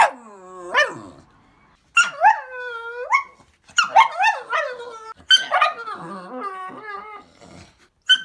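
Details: A pet dog giving funny vocal sounds: drawn-out harmonic whines and howl-like cries that rise and fall, some with a bending, yodelling pitch, in four or five separate phrases with brief pauses between them.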